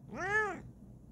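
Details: A Bengal cat, curious and exploring, lets out one short arched meow that swells and fades within roughly half a second; no other sounds intrude.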